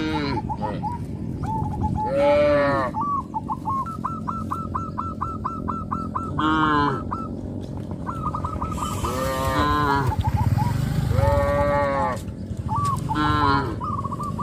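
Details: Several deep, harmonic moos from a herd of gentle village cattle calling their companions, spaced through the recording, over steady trains of short, evenly repeated higher-pitched notes and a low rural rumble.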